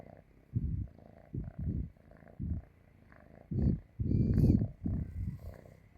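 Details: Cat asleep on a person's stomach, purring; low rumbling bursts of varying length come roughly every half second to second, the loudest and longest near the end, with quiet gaps between.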